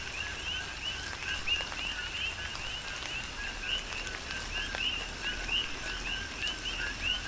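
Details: Coqui frogs calling in a tropical rain shower on the Big Island of Hawaii; many short, rising chirped notes repeat quickly over a steady hiss of rain, with scattered drops tapping nearby.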